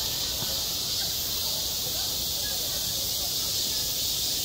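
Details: Cicadas singing on a midsummer day at a school playground: a dense, steady, hissing buzz fills the high register without a break, with faint low rumble and murmur underneath.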